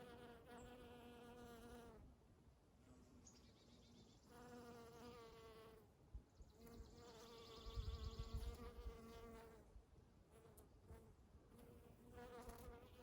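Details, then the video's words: Honey bees buzzing in spring around Eastern Redbuds: a rich, low droning hum with strong overtones swells and fades in passes of two to four seconds as bees fly near and away, with faint soft thumps and light background noise. "Relaxing Sounds of Honey Bees"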